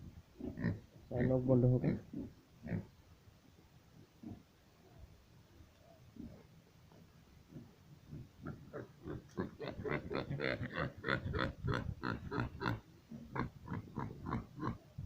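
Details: Pigs on a small farm in Assam, India, grunt in short low pulses, with a loud harmonic squeal early on and a dense burst of rapid grunting in the second half.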